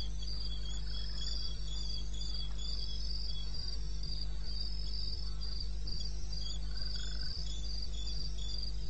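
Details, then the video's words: A high pulsed cricket trill from the eastern Botswana wilderness, recorded 21 May 2016 at 2:30 am, runs steadily, with a couple of faint softer calls lower down and a persistent low hum. "1 Hour cricket sound"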